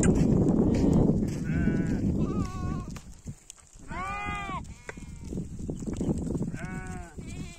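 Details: Sheep going home bleat three times at intervals of about two and a half seconds, over loud low rumbling and rustling noise that fills the opening seconds.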